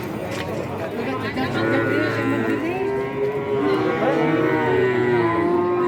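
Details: Cattle at the Wednesday cattle market in Kajen, Pekalongan, Central Java, keep up a near-continuous chorus of long, bending moos, one after another with little pause, over a constant background of crowd noise.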